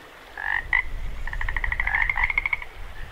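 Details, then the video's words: Frogs by a running creek at Jacobs Creek: a couple of bright croaks, then a rapid rattling series of clicking pulses, with constant creek water murmuring underneath. "0:01- 1:42 frogs"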